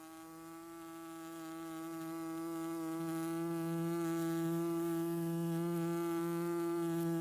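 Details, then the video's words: Bee pollinating flowers, a close, steady droning hum with a low fundamental and many even overtones, growing gradually louder over about seven seconds as if approaching; no other clear sounds. "The Buzzing Sounds of Bees"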